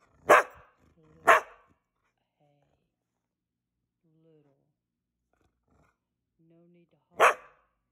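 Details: Indoor Blue Heeler dog demanding his evening meal, talking back in a tantrum: two sharp barks a second apart, soft murmured sounds during a pause of several seconds, then one more loud, abrupt bark.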